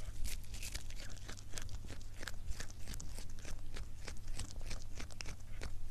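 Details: Soft, continuous crunching as a cat eats in an ASMR recording: many quick chewing clicks run close together over a low steady drone.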